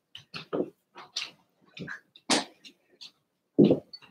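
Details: Cavalier King Charles Spaniel puppies Cooper, Conner and Jenny, Ruby and Blenheim coats, born 06/09/2022, filmed indoors overnight on 8/27: short scattered squeaks and whimpers with shuffling bursts, irregular, in a quiet room.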